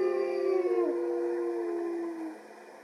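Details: Captive male wolf howling in protest as his mate is led away for a walk, with other wolves joining in; several layered smooth howls, one sliding downward, fading out after two seconds.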